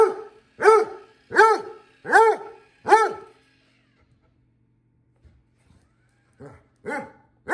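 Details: Basset Hound named Vincent barking indoors at a new robot vacuum cleaner: five deep, harmonic barks in quick succession, a pause of near silence, then three more barks starting up again.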